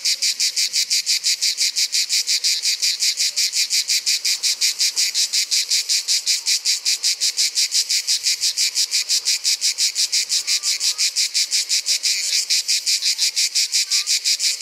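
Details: Grey cicada, Provence's cicada, cymbalising in summer. A long, unbroken series of fierce, high rasping pulses runs at close to three per second, joined by a couple of faint short whistles in the background.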